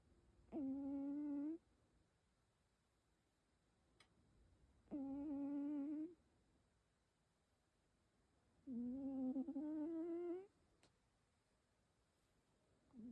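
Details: Keikichi, a rescued cat, snores while asleep: three even, humming snore breaths spaced roughly four seconds apart, the last slightly rising in pitch, with quiet pauses and faint clicks between them.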